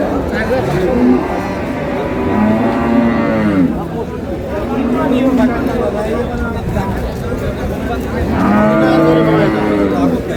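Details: Cows lowing at Ambari Haat in Dinajpur, a market for improved-breed dairy cows and calves, 7/6/26: three separate long, deep moos spaced several seconds apart, the last one strongest, over steady crowd noise and bargaining.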